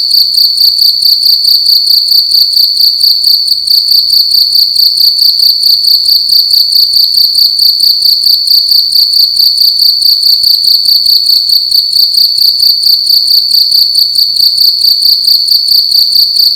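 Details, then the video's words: Loud cricket indoors in a room at night, a continuous high-pitched trilling chirp pulsing in rapid, steady bursts throughout, with no other notable sounds. "Cricket making loud sounds at night in a room"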